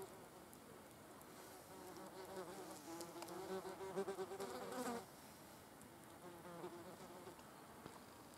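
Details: Wasps at a carcass, a low buzzing drone that grows louder and richer around three to five seconds as one flies close, then settles back to a quieter hum.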